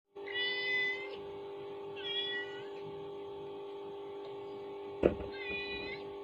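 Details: Domestic kitten indoors, reacting to a mother cat's calling sound played from a phone; three drawn-out, harmonic meows spaced about two seconds apart over a steady electrical hum, with a sharp knock near the end.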